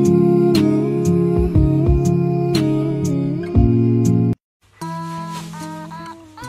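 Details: Plucked guitar music with a hummed or sung melody, a short silence near four seconds, then softer music; no animal sound.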